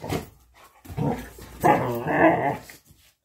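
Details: A Labrador Retriever at play gives a short gruff bark, then a rolling, throaty growl lasting about a second, with quiet gaps between the sounds.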